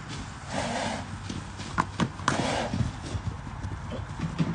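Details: Hooves of the Arabian stallion Enaaq Al Thaqeb SE, recorded in 2021, strike in soft, irregular low thumps. A few sharper knocks stand out midway against a murmuring, noisy backdrop.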